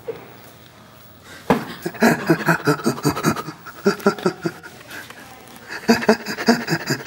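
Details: Burrito, a rescued chimpanzee at Chimpanzee Sanctuary Northwest, responds to laughter with rhythmic, breathy panting: after a quiet start, two runs of quick pulsed huffs, the second following a brief pause, in a small indoor room.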